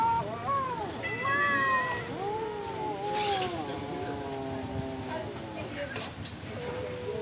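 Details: Several stray cats at a pagoda, fed rice and fish, call in overlapping arched meows, some rising then falling, one high bright call near the start, with a steady background hum.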